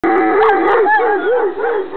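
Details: Irish Wolfhound howling in greeting: a wavering, mid-pitched tone that rises and falls in steady, repeated swoops for two seconds, with rich overtones and no other clear sounds.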